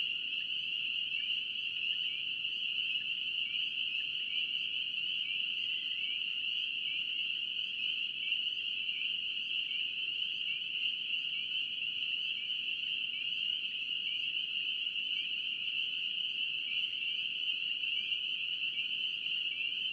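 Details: Chorus of spring peepers in North Carolina woodland wetland habitat, a dense continuous wall of high, piping peeps blending into a steady ringing band, with many frogs calling at once and no other clear sounds.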